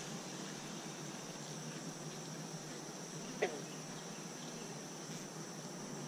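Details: Steady low hum of honey bees working three Apimaye hives, where one colony was requeened and another given an extra chamber. The drone holds evenly throughout, broken by one brief tap in the middle.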